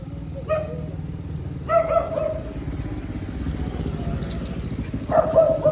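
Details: Belgian Malinois, one of two dogs named Luna and Dax, gives high whining cries in three bursts with clear overtones, the last rising and wavering, over a steady low engine-like hum and brief human voices.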